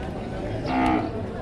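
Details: Cattle at a livestock market in Padre Garcia, Batangas, Philippines, on 3 January 2025, where breeding cows and heifers are sold; a brief, steady low moo rises over men talking prices in Tagalog amid market bustle.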